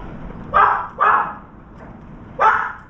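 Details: Dog barking near a veranda as a round-foreheaded crow visits and a trapped turtle dove flaps; two quick barks close together, a pause, then a third.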